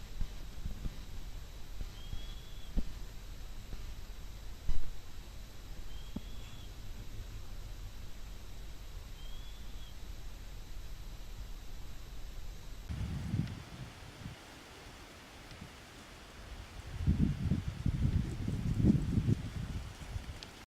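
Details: Chihuahua whining through its nose while asleep: three soft, short, high whistled peeps in the first half, followed by muffled rustling and handling noise.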